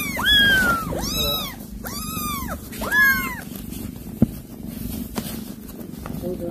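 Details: Mother cat that has caught a rat to feed her kittens, calling to them: four loud, arching, meow-like calls with strong harmonics in quick succession over about three seconds, then quieter with a few sharp clicks over a steady low rumble.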